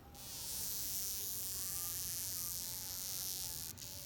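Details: Wasp burnt and unable to fly, wings drooping, making a steady, thin whining buzz that holds an even pitch for several seconds against a strong high hiss.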